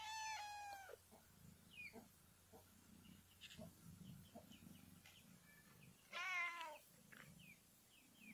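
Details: Mother cat meowing: a level, drawn-out meow opens, short faint chirps follow, then a louder, slightly falling meow near the end over a low background hum.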